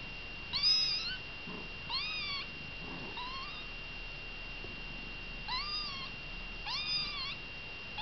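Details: Kittens together with mother Baileys give five bright, arched meows in irregular bursts, some doubled close together, with faint rustling between calls and a constant high-pitched tone underneath.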